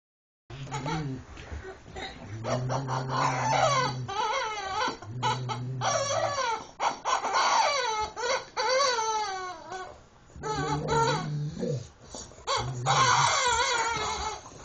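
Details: Rottweiler named Bishop playing with his favourite toy, a rubber chicken called Mr. Chicken, indoors; long wavering whines and yodelling cries that swoop up and down, broken by short pauses, with a low droning squeak underneath.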